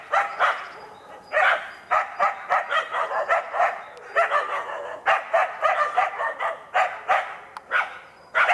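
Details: Two Karelo-Finnish Laikas, two years and eight months old, working an enclosed wild boar in preparation for trials; dense, rapid volleys of rough, strident barks, several per second, barely pausing throughout.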